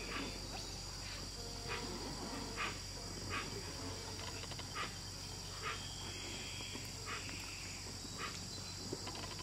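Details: A giant otter in the wetlands of the Añangu Kichwa community territory, Ecuador, calls in a run of brief, raspy barks and squeals, roughly one each second, some drawn out and wavering, over a constant engine-like droning hum.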